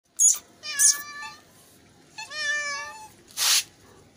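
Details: Hungry kittens meowing for food: two drawn-out, wavering harmonic meows that rise and then fall, with short sharp broadband bursts before and after them.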